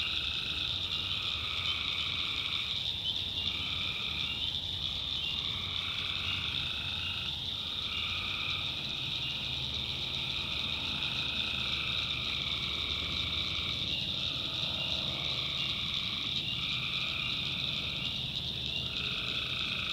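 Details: A nighttime swamp chorus of tree frogs in the North Carolina backwoods, with buzzy trills lasting about a second each overlapping in dense succession, carried over a constant high-pitched cricket drone.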